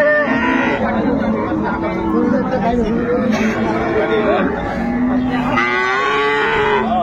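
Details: Cattle at Ambari haat livestock market in Dinajpur, where improved-breed dairy cows and calves are sold, recorded 10 February 2025: drawn-out, low, wavering moos rising and falling amid steady crowd chatter.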